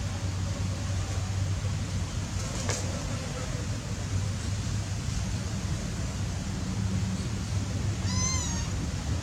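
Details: Playing cats give a single short, high meow with a wavering pitch near the end, over a steady low rumble of background noise.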